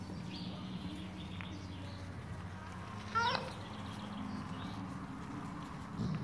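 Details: A five-week-old Golden Retriever puppy gives a single brief, high yelp over a low background hum.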